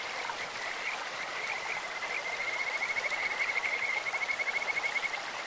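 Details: Kajika frog in a clear stream: scattered high chirps build into a loud, fast, evenly pulsed trill lasting nearly three seconds, set against the hiss of running water.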